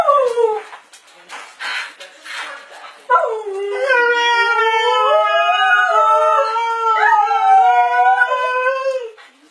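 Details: Pet dog "talking" indoors: after a few seconds of a person's voice, a long, sustained, wavering howl-like moan holds for about six seconds, sliding slightly up and down in pitch before fading.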